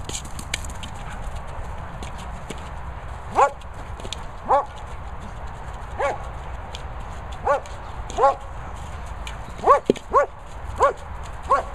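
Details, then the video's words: German Shepherd Lucy playing with a boomer ball outdoors, giving about ten short, high, tonal barks spaced unevenly over twelve seconds against a steady low rumble of wind. "German Shepherd Lucy loving the boomer."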